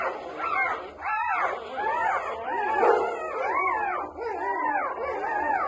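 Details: Newborn Labrador Retriever puppies squealing, a run of rising-and-falling whiny cries in quick succession, roughly one every half second, several pups calling over each other.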